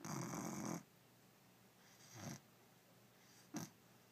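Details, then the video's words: Puppy snoring indoors: a long raspy breath for under a second, then two fainter, shorter snores about 1.5 seconds apart, quiet room otherwise. "My dog snoring"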